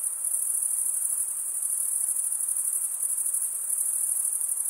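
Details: Male crickets stridulating with their wings. A continuous piercing high trill holds steady throughout, slightly pulsing in loudness, with no other sounds.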